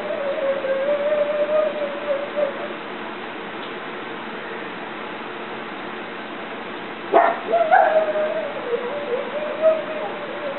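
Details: Pet pug named Bogey yodeling at something outside: a long, wavering, sustained tonal howl lasting nearly three seconds, then a sharp yelp and more warbling, drawn-out yodel notes after a pause. Steady indoor hiss.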